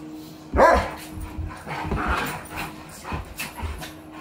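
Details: Dogs at play, a miniature pinscher with a big Doberman pinscher: one sharp yip opens, followed by rough, rumbling growly vocal bursts and scuffling.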